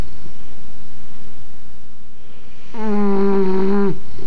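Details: English bulldog snoring, one long buzzing snore of over a second near the end after a quiet pause, pitch steady then dipping as it stops, low indoor hum throughout.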